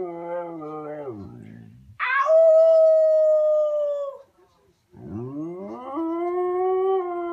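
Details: Khaleesi, a female Siberian Husky, talking because she wants to go for a walk: a falling moan, then a sustained high howl, a short pause, and a rising then level howl with rich harmonics.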